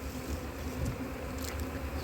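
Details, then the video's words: Honey bees of a suspected drone-laying colony, on a hive split after failed first queen matings during cold weather in 2024; a steady low droning hum with a few brief higher flickers. "comment déceler précocement une colonie bourdonneuse"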